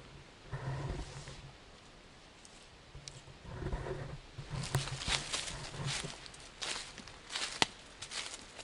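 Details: Siamese cats Otani and Yozora on an off-leash, three-hour hike through a wild forest: two low, drawn-out, throaty meows about a second each, separated by a pause, then crunching footsteps and rustling on the forest floor.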